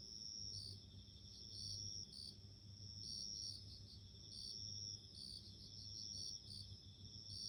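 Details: Bell cricket sounding in a natural setting, in clear separate bursts: short, high, ringing trills of under a second, repeated with brief pauses. Some phrases end in a brighter tinkling note, over a quiet low background hum.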